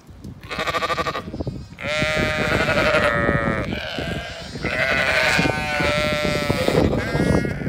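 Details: Zwartbles ewes and lambs in County Kilkenny, Ireland, rushing toward their evening field and feed; several sheep give drawn-out, quavering bleats that overlap in a near-continuous chorus over scuffling and movement noise.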